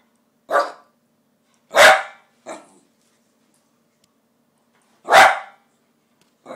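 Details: Dog barking for tikka masala: loud, abrupt barks in an uneven rhythm, two strong ones separated by a short softer yap and a long pause.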